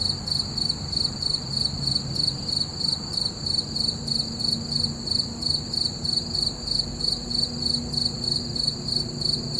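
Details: Crickets chirping at night under a full moon: a high, shrill pulsed trill repeated in quick, steady chirps several times a second, with a faint low rumble in the background.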